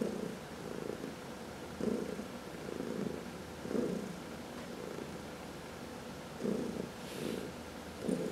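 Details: Purring from a household cat during a massage, among four cats including two seniors adopted from the Humane Society of New York City; low continuous rumble rising in soft pulses every second or so, with a faint brief rustle.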